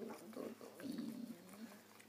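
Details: A six-year-old female Siberian husky, given a dog birthday cake ten days late, gives quiet tonal whining: two short bursts, then a longer, drawn-out, slightly wavering note with steady low harmonics in a quiet room.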